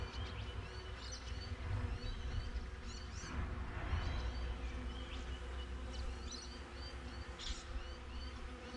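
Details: Honey bees outside a beehive, recorded with a GoPro: a steady low buzzing hum with a swelling drone, while small high bird chirps flick in and out above it.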